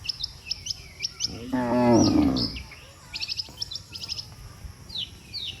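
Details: A herd of tame cattle heading back to their barn together after a day in the field: a single loud, wavering moo midway, surrounded by bright, repeated chirps from small birds.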